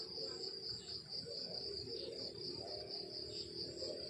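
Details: Crickets chirping in the countryside in the morning: a steady, high, pulsed trill repeating rapidly in a continuous band, with a faint low background hum.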